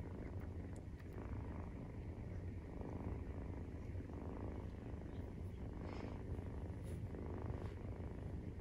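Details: Maine Coon purr recorded at nursing time on day 43 after birth: dense, rough low rumble with steady rhythmic pulses and faint light rustles.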